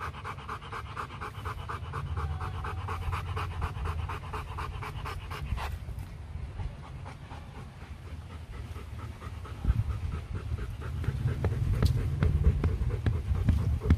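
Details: Rottweiler panting at a breeding session between champion male Loki and a female brought from Hưng Yên, Vietnam; rapid rhythmic huffs over a heavy low rumble, with a faint tonal whine near the start.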